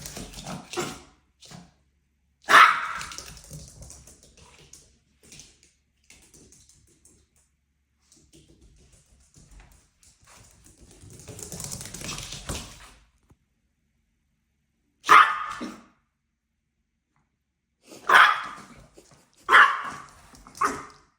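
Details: Dog at play: several sharp, loud barks spread across the clip, mostly in a quick cluster near the end, separated by stretches of rustling, scuffling noise and near silence.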